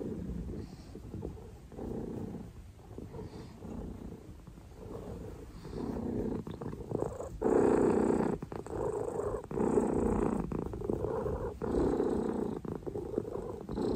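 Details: A steady low purr from Oreo the cat, continuous rumbling that swells louder partway through, with faint rustling alongside.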